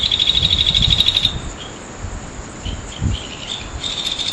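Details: Full-moon night insects at Naze, Amami Ōshima, Japan, August 2011: a fast chirping trill for about a second, then brief scattered buzzes over a faint high hum, with low thumping noises underneath.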